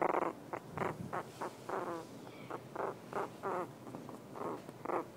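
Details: Female Havanese puppy settling into sleep, grunting steadily; about a dozen short, resonant, nasal grunts, each under half a second, repeat at a fairly even pace in a quiet room.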